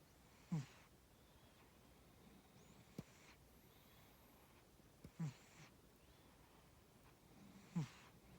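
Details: Pet cat Tora asleep and snoring: three low, rough snoring breaths spaced about two and a half seconds apart, with soft airy hiss on each and near-silence between.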